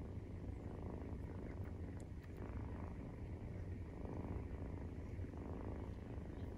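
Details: Maine Coon purring at feeding time, with a 43-day-old kitten nursing; a long, even low-pitched rumble with gentle swells in loudness and a couple of tiny clicks.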